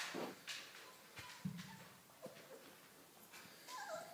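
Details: Several short, faint whines from Dogo Argentino puppies, the last a falling squeal near the end, amid light rustling and soft knocks.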